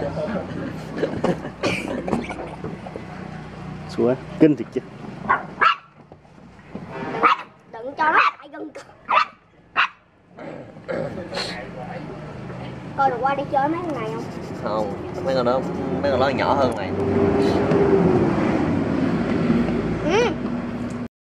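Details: Dog barking at a stranger: rapid bursts of short barks in the first half, then fewer yips as Vietnamese voices talk throughout, with steady background noise.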